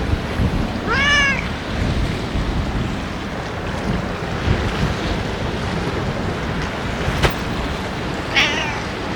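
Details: Ear-tipped stray cats being fed on a day of strong wind; two clear, harmonic meows, one early and a second near the end, each falling then rising slightly, over steady wind rumble.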